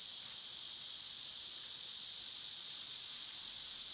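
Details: Summer cicada chorus, loud at this time of year, heard as an unbroken, even, high sizzling buzz holding constant throughout, with nothing else standing out.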